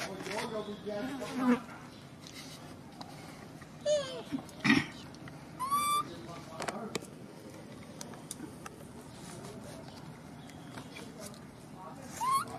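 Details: Abandoned infant macaque crying heartbreakingly after its mother left it: short, high, whistled harmonic squeals that sweep upward, repeated several times at irregular intervals, over a constant low hum with occasional soft clicks.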